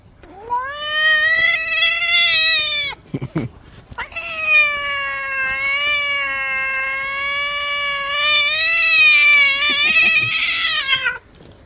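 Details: Domestic cat crying out while being bathed: two long, drawn-out harmonic meows, the first about three seconds, the second a sustained wail of about seven seconds that wavers slightly and rises at the end, with brief splashing between them.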